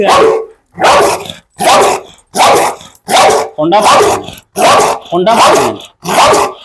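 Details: Steady, forceful barking from a pit bull, eight deep, hoarse barks at an even pace of a little over one per second, rough and slightly growling in tone.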